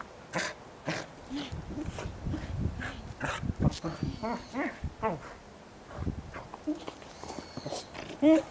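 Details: Goro, a pet Welsh corgi, recorded 19 January 2013, gives a run of short, sharp barks and yelps in quick, uneven bursts, with human voices talking over and between them.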